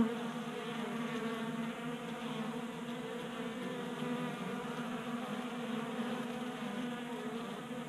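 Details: Honey bees feasting at a 3D printed feeder in a Colorado garage during warm January weather; unbroken droning buzz of many wingbeats, steady and even throughout.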